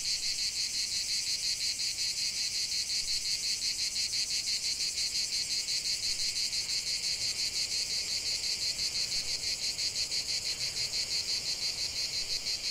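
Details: Chorus of cicadas outdoors in nature, a continuous high rasping buzz throbbing in quick regular pulses, roughly three per second, unbroken for the whole stretch.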